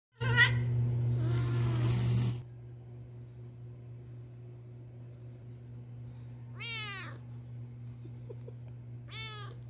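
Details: Jealous pet cat reacting to another cat sitting on its owner's lap indoors; a burst of harsh broadband noise at the start, then two short, clear, downward-bending meows several seconds apart over a steady low electrical hum.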